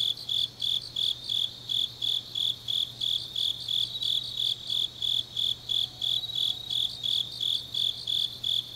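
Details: Autumn grass insects calling late at night in Changnyeong, Korea, a shrill pulsing trill repeating roughly three beats a second, layered with a fainter higher chorus and a soft constant low drone.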